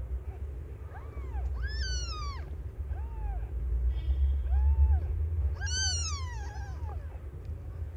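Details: Aimee, a young domestic cat delivering five kittens, gives repeated rising-and-falling meows: small mews between two loud, drawn-out cries, with a faint tone and low hum underneath.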